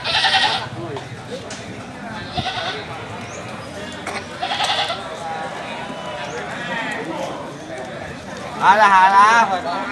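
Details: Goat at a livestock market gives one loud, quavering bleat near the end, after a stretch of crowd chatter, background noise and brief bursts of sound.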